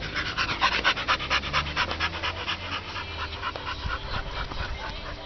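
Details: Chicca, an American Staffordshire Terrier, panting while playing with wood and being urged to grab it; quick regular breathy pulses that fade slightly toward the end, with a faint low background drone.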